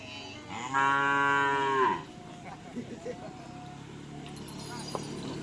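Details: White Karapan Sapi racing cattle from Sapudi Island: one long, low, droning moo lasting about a second, rich and steady, ending with a slight upward bend. Quieter rustling and faint voices follow.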